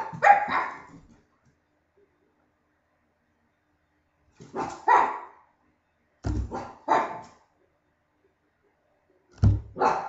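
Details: Barking contest dog: a quick pair of barks, a long pause, then clusters of two or three rough barks arriving in uneven groups toward the end.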